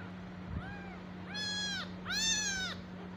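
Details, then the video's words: Tiny stray kitten left alone by its mother, crying: three drawn-out, clear meows, the first faint, the next two loud and high with a rising-then-falling arc, under a steady low electrical hum. "tiny and little kitten is so disheart because his mother cat left him alone"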